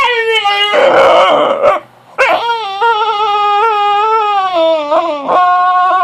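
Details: Puppy named Penelope, fussy after being woken early from a nap indoors: long high whining howls with a steady tone, a short break midway, then a sustained wavering whine that dips and rises again near the end.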